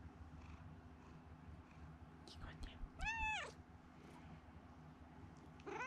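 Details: Domestic cat, rescued as a kitten and now living indoors at home, with poor sight in one eye: one clear meow that rises then falls in an arch, preceded by faint soft noises, over low room hum.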